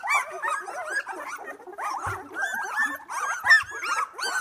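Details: Two-week-old Australian Labradoodle pups from a litter, eyes starting to open, during playtime: several puppies squeak and whimper together in short arched cries, with a couple of soft thumps in the middle.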